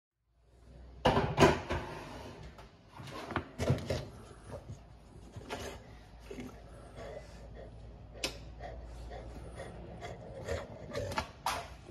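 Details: Indoor knocks, bangs and cupboard or drawer clatter over a low background hum, with no animal calls.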